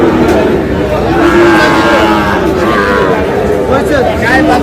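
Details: Sahiwal bull calves at a cattle market in Kushtia on 25 August; drawn-out mooing with a held, slightly wavering tone rises above a dense, constant crowd of chattering and bargaining voices.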